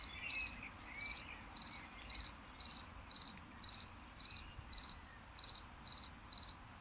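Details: Cricket chirps after rain, bright high pulsed bursts of three or four quick notes, repeated slowly about once a second in an even rhythm, quiet background.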